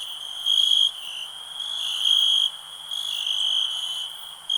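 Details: Cricket chirping: a continuous high-pitched ringing that pulses louder in bursts under a second long, about every second, with nothing else clearly heard.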